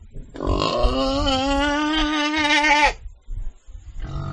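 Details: Pig giving one long, steady, harmonic squeal of about two and a half seconds that ends abruptly, followed by softer rustling and snuffling noises.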